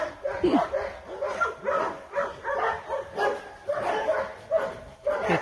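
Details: A Dobermann gives a series of rough barks, each a short harmonic burst spaced about half a second apart and fairly even in loudness.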